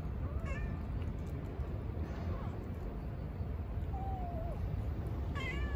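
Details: Newly arrived stray kitten at a feeding spot mews repeatedly: short, high, wavering cries at the start and end, with a longer sliding mew in the middle, all over persistent low-frequency background noise.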